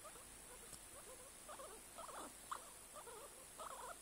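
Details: A guinea pig making wavering, squeaky calls that bend up and down in pitch, in short groups with brief pauses between them.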